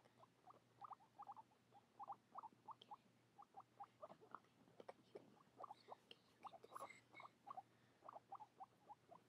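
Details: Guinea pigs eating parsley: a steady run of short crunchy chewing bursts, roughly three to four per second, through the whole stretch over a faint low hum.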